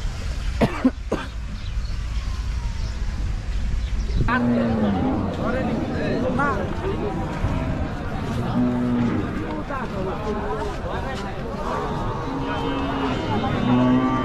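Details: Cow unloading in a village, with several short, flat, steady moos repeated every few seconds over constant talking and chatter from a crowd of people; a couple of sharp knocks and thumps near the start.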